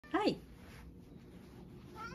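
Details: A pet cat out on a walk in the afternoon, glad to be outside after a full day of rain kept it in: one short, loud meow that arches up and then drops, followed by a quiet background hum.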